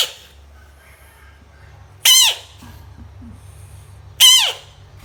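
A frog gives two loud, shrill squeaks about two seconds apart against a faint indoor hum.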